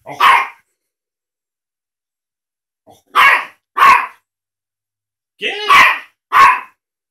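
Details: A tiny teacup Yorkshire Terrier gives sharp, high barks in short, uneven bursts separated by pauses while barking at a cat in a video on a laptop, looking around and over the screen for it.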